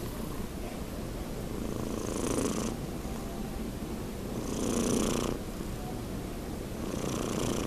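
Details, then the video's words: Sleeping house cat Nino, nearly six months old, gives slow rhythmic snores: three airy hissing breaths roughly every two and a half seconds over a continuous low purring drone. "CAT SNORING - GATO RONCANDO"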